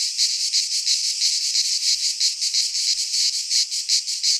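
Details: Summer cicada song from a pine forest in Greece: loud, shrill, and buzzy, beating in even pulses close to three per second across the whole stretch, the insects being the only sound.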